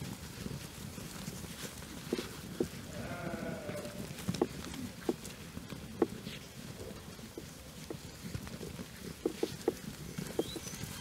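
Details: Twelve-month-old Jura breeding ewes in a flock joined by the ram days earlier, outdoors on pasture; a wavering, tremulous bleat sounds near the third second amid steady crackling, footsteps and sharp clicks.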